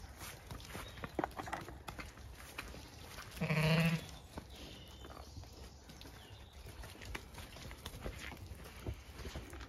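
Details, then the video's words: Zwartbles sheep at breakfast time on a County Kilkenny farm in Ireland, a lamb trailing its mother: a single wavering bleat near the middle, set among rustling, hoof steps and light outdoor noise. "LuverlyBit follows her maaaa when breakfast arrives"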